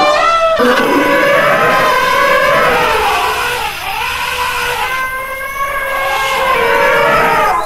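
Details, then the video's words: Sustained, brassy elephant calls with strong layered overtones, several voices sliding and bending in pitch over one another, holding loud throughout with a slight lull in the middle. "Elephant - Elephant sound - Elephant sound effect"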